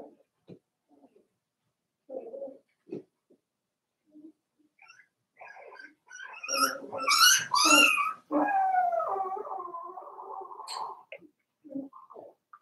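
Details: Litter of four-week-old Cavalier King Charles Spaniel puppies from Daisy in a puppy pen: scattered soft whimpers build into loud high yelps, then a sustained wavering howl-like whine lasting about three seconds, fading to quiet squeaks.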